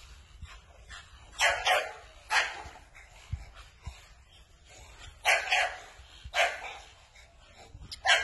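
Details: American Bully dog barking in loud, harsh single and double barks spaced about one second apart with quieter gaps between, faint low thuds in the background.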